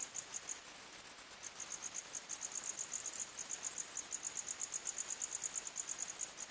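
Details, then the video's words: Crickets chirping at night in a forest: a continuous, very high, rapid pulsing trill with tightly packed repeated chirps and slight swells in loudness, over a soft background hiss. "Criket Sounds"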